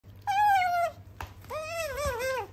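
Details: Pet otter kept indoors in Japan, chattering on and on: two drawn-out, tonal, whining calls, the first level and slightly falling, the second wavering up and down, separated by a short click.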